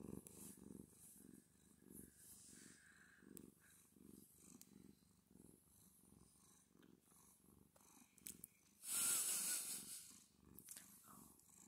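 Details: Domestic cat purring loudly while being petted: a steady low rumble pulsing about three times per second, with audible breathing and a brief loud hiss of noise near the ninth second.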